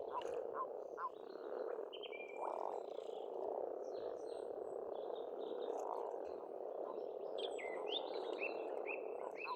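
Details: Spring frog chorus at a pond on a farm in Estonia: a thick, steady wall of croaking from numerous frogs, overlaid by frequent high, slurred bird whistles and twitters.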